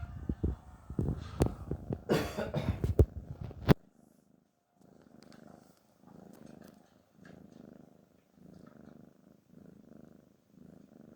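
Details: A cat called Garfield snoring out of relaxation and pleasure. After a burst of loud handling clatter, gentle low raspy breaths follow in a slow, regular rhythm, each snore lasting about a second with short quiet gaps between.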